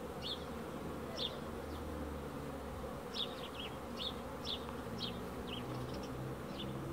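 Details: Honey bees produce a thick, constant buzzing drone, overlaid by clusters of short, bright bird chirps that come in bursts about once a second.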